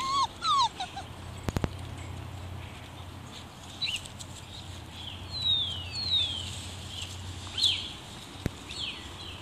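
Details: Collie pups five weeks old, recorded in 2016, giving short high whines and yips, some sliding downward, scattered through the clip over a low steady hum and a few sharp clicks.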